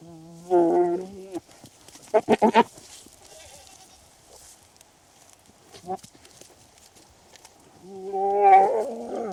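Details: Male and female goats interacting during mating in the breeding season: a wavering bleat, then a rapid stuttering burst of four or five pulses, a short faint call, and a long loud quavering bleat to close.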